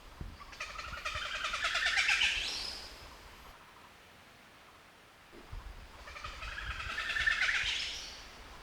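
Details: A Javan surili call played from a loudspeaker in a playback experiment inside a gibbon territory: two bursts of rapid, chattering pulses climbing steadily in pitch; the gibbons showed no reaction.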